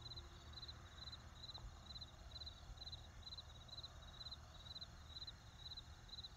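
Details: Steady, high-pitched cricket chirps in brief trilled bursts, about two per second, in an even rhythm, in a field, over a deep constant rumble like distant traffic or wind.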